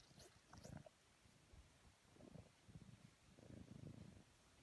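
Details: Domestic house cat purring while being cuddled; a low, rumbling purr comes in soft swells with the breath, fading between phases, with brief faint rustling and clicks near the start.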